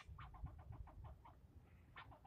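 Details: Scolding from a single male squirrel aimed at the person filming, part of nearly ten minutes of yelling: around ten quick rasping chucks in a steady series, a pause, then three more clipped notes over low-pitched rumble.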